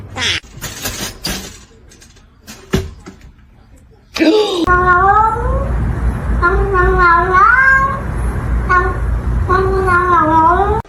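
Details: Domestic cat talking: after about four seconds of scattered clicks and knocks, a run of wavering, drawn-out meows follows, some rising then falling, in quick succession over a steady low background hum.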